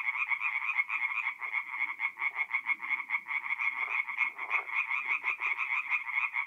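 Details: Mid-April night at a forest pond in north-east Italy, where tree frogs sing in a loud, throbbing chorus of quick rattled notes. Brief low splashy or rustling bursts break in now and then.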